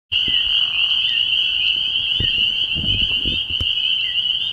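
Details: Spring peepers calling at night in early spring at a frog pond: a dense, shrill chorus of overlapping high peeps that merge into one steady ringing band, with a few soft low thuds partway through.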